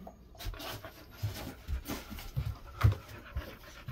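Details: Golden Retriever cooling off indoors in an air-conditioned room kept at 20–22 degrees during hot summer; close, rhythmic panting, quick puffed breaths about three or four per second, loud and clear against a quiet room.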